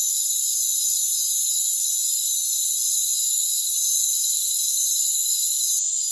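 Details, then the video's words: Rainforest crickets calling together in a steady, shrill, high-pitched drone of stacked trills that shimmer slightly. There is no other noise beneath, and a short burst of brighter hiss comes at the close. "Rainforest Crickets"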